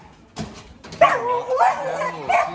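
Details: Dobermann at a large kennel making harmonic, wavering whines and short yelping calls that rise and fall in three bursts, with a person talking nearby and faint background noise.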